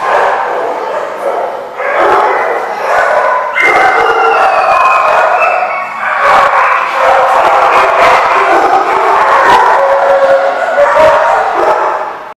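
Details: Barking dogs at The Barking Lot on 24 October 2014, a loud unbroken chorus of overlapping barks, yips and howl-like notes lasting over twelve seconds, with some voices of people mixed in.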